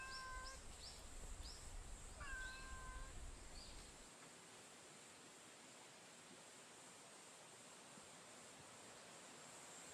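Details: Stray cat met on a street during a daytime stroll; two short tonal meows in the first three seconds, with faint high chirps alongside, then only a steady background hiss.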